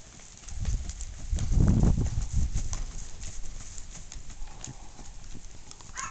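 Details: Tennessee Walking Horse stallion moving, its hooves giving sharp, uneven clip-clop steps. A heavy low rumble swells in the middle, with faint outdoor background.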